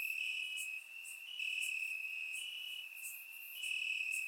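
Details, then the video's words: Crickets in the grass at night in Bulgaria during warm summer weather: unbroken shrill trilling that rises and dips in strength, overlaid by quick high chirps from other insects. "Cricket Sounds - Crickets Chirping at Night"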